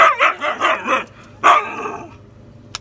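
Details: Sable, a female Siberian Husky, talking back after being told no: a quick run of four or five rising-falling yowling syllables, then one longer drawn-out howl-like moan, ending in a faint click.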